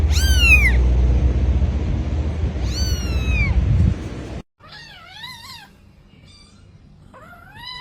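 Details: Kittens in a compilation of cute pet moments meow repeatedly with high, downward-sweeping mews over a loud rumble, then softer wavering mews in quieter surroundings.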